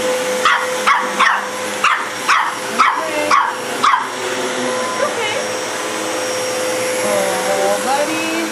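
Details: Dog barking at a vacuum cleaner in a home: about seven quick, sharp barks in the first four seconds, then only the continuous vacuum hum and a person's voice.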